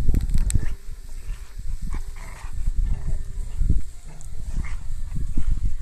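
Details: A Rottweiler playing with his rope makes deep, rumbling growls and huffs in short bursts.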